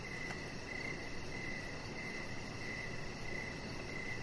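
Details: Evening crickets near a deck where a chihuahua puppy rests; crisp, high chirps repeat at an even rhythm, one brief click early on, with soft low background noise throughout.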